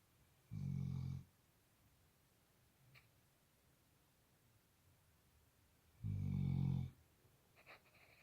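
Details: Indoor recording of a snoring Labrador Retriever: two harsh, low-pitched snorts near the start and end, roughly five and a half seconds apart, with faint small clicks in between.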